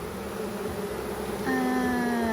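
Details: Honeybees at an open hive during a first inspection, with frames removed while the beekeeper searches for the queen. A steady droning hum of many bees, then a louder, slightly falling buzz from one bee flying close by.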